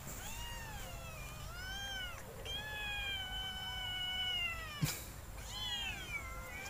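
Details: Kittens competing to drink milk at night, two of them, calling in a series of clear high meows, some arched, one long level and drawn out, over a low steady hum and a sharp knock.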